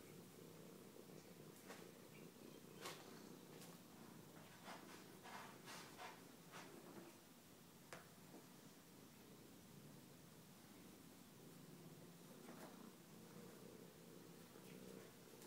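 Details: A house cat named Bella purrs continuously while playing with a star chaser toy, a soft even rumble broken by scattered sharp taps and clicks through the middle of the recording.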